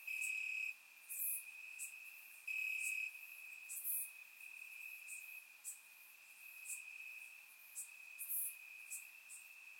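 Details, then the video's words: Warm summer night in Bulgaria, crickets chirping in the grass: a constant piercing trill on one note, two strong loud bursts early on, then a softer steady drone with occasional short bright ticks, recorded with a surround microphone. "Cricket Sounds - Crickets Chirping at Night"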